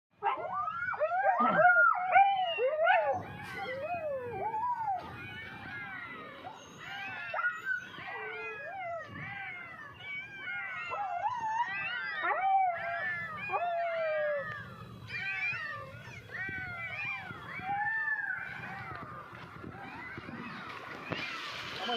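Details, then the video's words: Two mother dogs in the Sripuram area of Tirunelveli Town cry out as rainwater floods the dry culvert sheltering their newborn puppies. Dense, overlapping high whining cries arch up and down in quick succession, with music underneath. "நீருக்குள் மூழ்க தொடங்கிய நாய்க்குட்டிகள் கதறிய இரண்டு தாய் நாய்கள்"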